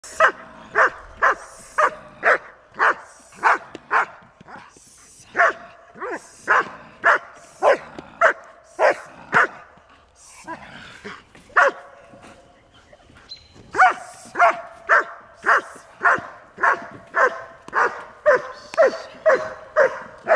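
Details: German Shepherd Dog, the Czech import Rasky Anrebri, doing bitework on June 21, 2011, his first since 2008. Loud, sharp barks come in a steady run, roughly every 0.6 seconds, with a brief lull midway before the rapid barking resumes.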